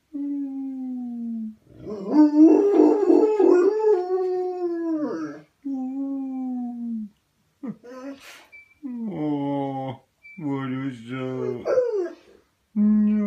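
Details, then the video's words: Pet dog howling: long, sustained tonal wails that hold steady, swell into a louder wavering stretch, then drop and break into shorter rising and falling howls separated by brief silences. "Dog howling"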